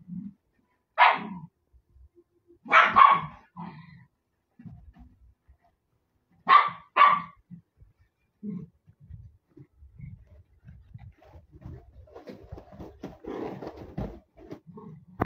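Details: Puppies playing together give sharp, broad barks around one, three and six to seven seconds, with low growly grumbles and softer yips in between and a scuffling burst of play noise near the end.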